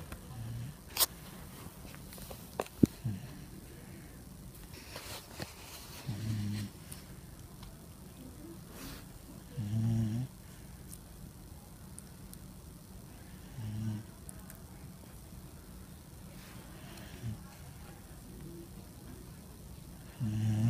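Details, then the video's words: Sleeping pet dog snoring softly in a small room, quiet low rasping breaths about every four seconds, among scattered faint clicks and rustles. "funny video of my dog snoring"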